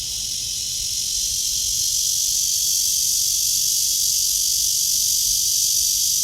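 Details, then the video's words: Morning walk, 23 August 2020, 9:27: a cicada in a tree under blue sky gives a continuous, intense high-pitched droning buzz that rises slightly in loudness early on, then stays level. "나무에 매미 파란 하늘"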